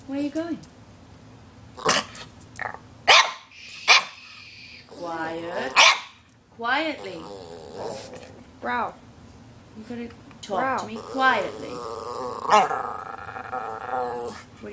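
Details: Two pet Norwich Terriers, one black and tan and one red and talkative, vocalizing to ask for lunch: drawn-out wavering, yodel-like growly moans mixed with sharp short barks, while a person speaks between them indoors.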